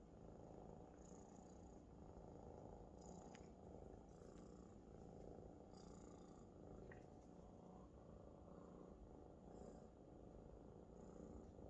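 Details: Loud purring from a Maine Coon kitten lying contentedly on its big adult friend; continuous low buzzing rumble with soft breath rhythm and occasional light rustles.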